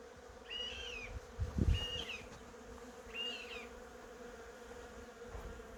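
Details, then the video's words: Honey bees buzzing among cherry blossoms: a steady, droning hum under three short, bright bird chirps, with a few soft low thumps near the middle. "벚꽃과 꿀벌소리"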